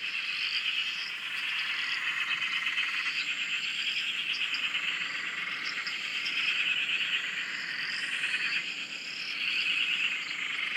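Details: Many frogs calling together at a dam in Australia, heard from a shack; a steady wall of high, rapid trills and chirps with overlapping whistled notes, swelling and fading gently without pause.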